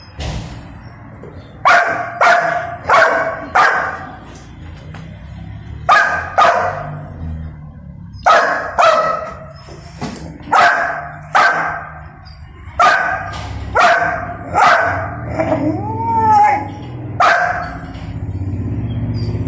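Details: Pet Golden Retriever protesting loudly at not being allowed to eat; quick runs of three or four barks with brief pauses, a whining rising note near the end, low hum underneath.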